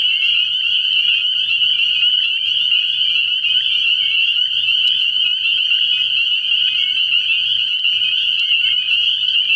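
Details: Spring peepers chorusing at a frog pond at night early in the year, an unrelenting mass of high whistled peeps at even volume, with a few sharp clicks and a faint low hum.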